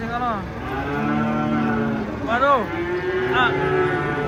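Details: Giant cow being unloaded, jumping down from a truck, gives a long harmonic moo that dips and then rises, followed by shorter arching lows near the end.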